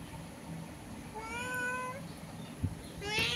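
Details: Domestic cat meowing while talking through a window with another cat outside; a single rising then level harmonic meow, fairly faint, with a woman speaking Bengali and background music.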